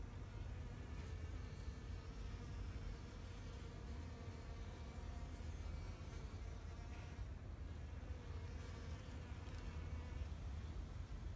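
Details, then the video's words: Bees foraging in a Japanese flower garden in spring 2021, a steady low buzz with faint layered hum overtones that swell and fade as insects move among the blooms, over a constant deep wind-like rumble. "Sound of Bees in flower garden"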